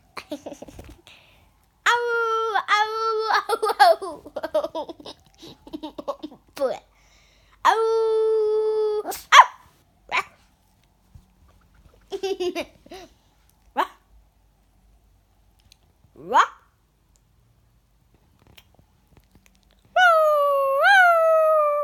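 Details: Female Yorkshire Terrier pet indoors, vocalizing back and forth with a child as if talking: drawn-out tonal whines and yowls, some wavering and rising, in bursts separated by short quiet gaps, with faint voices between.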